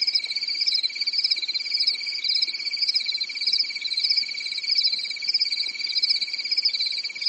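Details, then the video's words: Nighttime cricket song on a calm summer evening in a European forest: ceaseless high-pitched pulsed chirring, the upper tone gently warbling in regular surges over a level shrill hum, faint hiss beneath. "Grillen zirpen in der Nacht"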